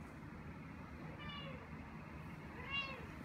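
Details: Young cat Ao, nervous during a veterinary hospital visit, lets out two drawn-out, arching meows about a second apart, set against a constant low rumbling background while a person asks the cat to put its head in.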